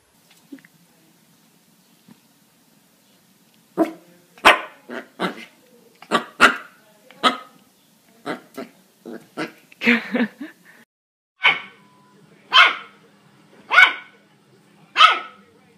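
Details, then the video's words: Puppy barking in a long, irregular burst of quick yaps, some doubled, then steadier single barks about once a second, with a low steady hum underneath. "Puppies Barking"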